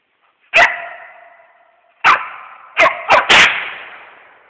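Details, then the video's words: Treeing a squirrel on a hunt, a West Siberian Laika gives five loud barks in under three seconds. They start spaced, then come in a rapid closing burst, each trailing off in a ringing echo. "West Siberian Laika treeing squirrel"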